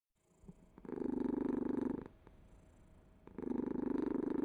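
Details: Domestic cat purring in a steady, low, rattling buzz, with two loud breath-cycle surges separated by a quieter, softer stretch.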